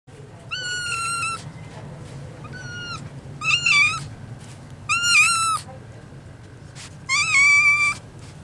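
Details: Rescued three-legged kitten indoors, giving five clear meows over eight seconds, each a bright, slightly rising then falling cry with rich overtones, spaced about one to two seconds apart, over a low steady hum.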